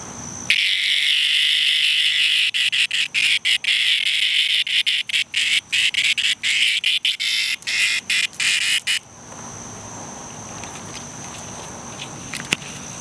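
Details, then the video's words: Cicada in distress, giving a loud harsh buzzing rasp concentrated in high pitches, broken into rapid stuttering pulses for about eight seconds before stopping abruptly, leaving a faint steady high whine and quiet background. "Cicada in distress"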